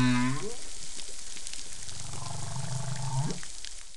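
Whale song with a low harmonic moan, then pulsed groaning that sweeps upward, over steady hiss.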